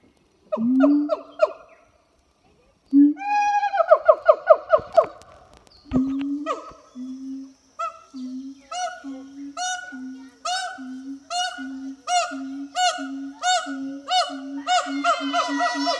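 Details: Two captive siamang gibbons duetting at a French zoo on a hot summer morning: loud harmonic whoops and barks, then a long accelerating run of low booms paired with sharp rising shrieks.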